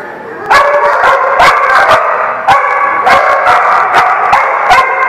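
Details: Loud, rapid dog barking: yappy, ringing barks fire in quick bursts, several overlapping, keeping up a dense noisy chorus throughout.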